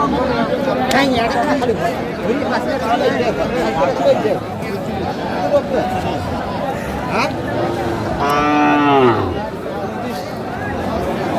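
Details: Cows for sale at Aftabganj market, Dinajpur, Bangladesh, 5 March 2025, in Ramadan. About two thirds of the way through, one loud moo of roughly a second bends in pitch, rising then falling, over a busy background of people talking and haggling.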